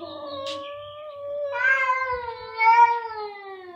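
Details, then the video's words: Two domestic cats meowing very loudly in a duet, a long sustained wailing tone that holds steady, then swells louder and richer at midpoint before sliding slightly downward. "2 tenor cats in concert | Meowing very loudly"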